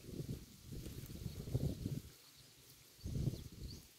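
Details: Close-up of a cow eating roadside grass: two low, crunchy bursts of chewing and tearing separated by a brief quiet gap, then a third burst of bites.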